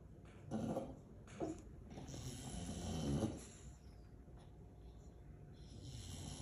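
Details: A sleeping female English Bulldog gives a few low, smothered barks about a second apart, with heavy snoring and snorting breaths between; the owner says her tummy was barking too. Aliso Viejo, California, USA, December 18, 2022.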